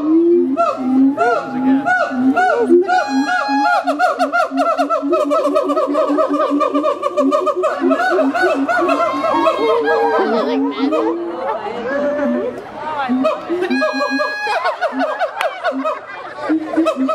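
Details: Captive siamangs at Miami Metrozoo howl in loud, overlapping whoops and hoots that rise and fall in a continuous chorus, resonated by their inflatable throat sacs.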